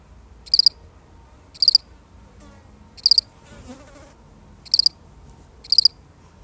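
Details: One solitary cricket, really recorded, repeats five bright, pulsed chirps at uneven gaps, with a soft low rustle in the middle between them.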